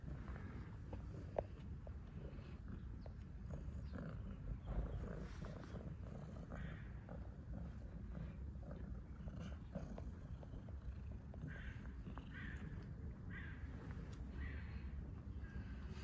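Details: A homeless ginger street cat in Istanbul purrs while greeting a familiar person who feeds him, a steady low rumbling drone throughout, with faint rustles and small clicks over it.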